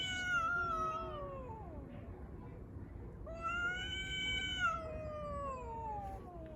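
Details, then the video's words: Fighting street cats over the litter box give loud, sustained caterwauls: a steady harmonic wail sliding down, a short pause, then a louder rising yowl that holds and droops slowly, over steady low background noise. "Street cats fighting and making strange noises over the litter box !!!"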